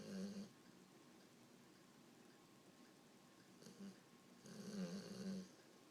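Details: An English Bulldog, asleep after playing at the beach and perhaps dreaming, snores in low, rumbling bursts, a loud snort opening and closing the stretch.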